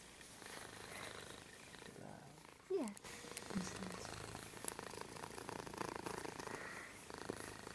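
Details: Sprawled belly-up indoors on papers and books, Mittens the cat keeps up a continuous pulsing purr, interrupted near the middle by a short human voice, then the rhythmic rumble resumes to the end.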